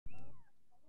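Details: Persian kitten, shown growing up; a single short meow, clear and harmonic, gliding downward in pitch over about half a second and ending quickly, with low background rumble.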